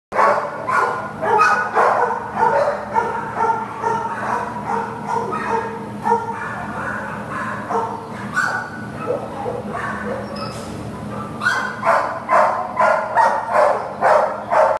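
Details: An American Pit Bull Terrier up for adoption barks repeatedly in quick, uneven bursts, roughly two barks a second, with sharp broadband yelps between steady lower barks and a constant low hum underneath.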